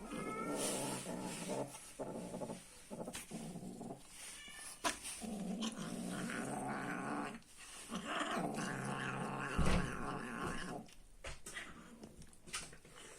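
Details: Angry cat growling over its food in a small room, a rough pulsing growl repeated in uneven bursts with chewing-like clicks and a faint higher yowl at the start.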